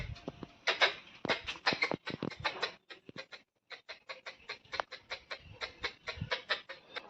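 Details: Squirrel in a flowering tree beside a gate on a sunny morning after days of continuous rain, making an unusual call and running off as filming began; rapid, irregular run of sharp dry chik clicks, dozens in seven seconds, briefly pausing midway.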